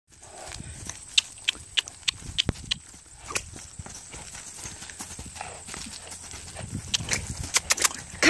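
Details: Off-track Thoroughbred, a male horse, moving outdoors as his owner urges him on; sharp, irregular clip-clop hoofbeats ring out in quick clusters, with a steady high hum in the background.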